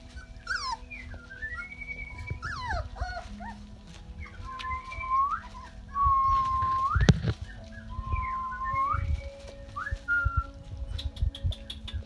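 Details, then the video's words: Rottweiler pups of Georgia's litter, day 33, Canada, with someone whistling to them: long sliding whines that dip and rise, some held flat tones, and scattered soft knocks. "Whistling With Rotti Pups"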